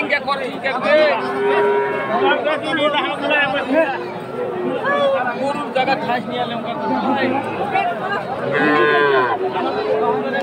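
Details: Friesian and crossbred heifer calves at Aftabganj cattle market, Dinajpur, on March 22, 2023: several low, drawn-out moos with curving harmonics rise above steady crowd chatter and people talking throughout.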